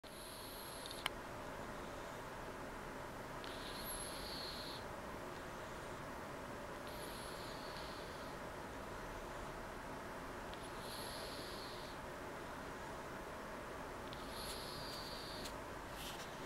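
A sleeping cat snores with a soft, whistling breath every three to four seconds, purring faintly beneath.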